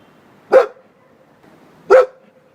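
A Bull Terrier gives two short, sharp barks about a second and a half apart.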